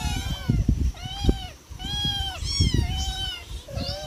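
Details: Four cats being fed, giving drawn-out arched meows between low thumping and handling noises, several calls in a few seconds, with a person briefly speaking.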